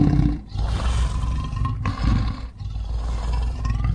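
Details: Lion roaring: a deep, rumbling, low-pitched roar that fills the whole stretch, briefly dipping in loudness near the half-second and two-and-a-half-second marks, then swelling again.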